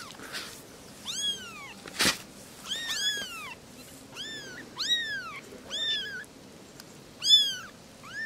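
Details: Three little kittens talking: clear, high rising-and-falling mews repeated about every second, a brief thump early on, otherwise a quiet background.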